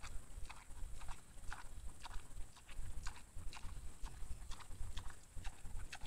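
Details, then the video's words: Camera-trap recording of a wild boar that came to a feeding spot for supper and eats with appetite, giving loud irregular crunching and snapping bursts, roughly one to three per second, above a constant low rumble. "КАБАН ПРИШЕЛ ПО УЖИНАТЬ )))АППЕТИТНО ЕСТ"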